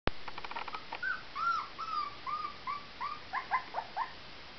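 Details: Young farm puppy, about one month old, settling down for a nap after a breakfast of cereal on a summer morning: a series of soft, high, curving whines and whimpers, repeated irregularly, with a few faint clicks at the start.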